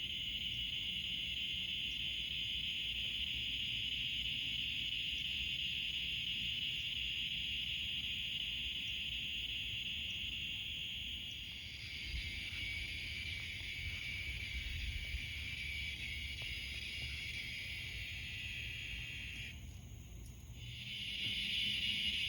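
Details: Crickets in pine trees chirp at night in a dense, steady, high-pitched chorus that hardly pauses.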